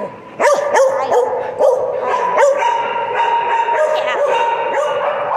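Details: A chatty pet dog opening with several quick yips and short bark-like notes, then settling into a continuous, wavering, harmonic howl-like 'talking' tone held for the rest of the recording.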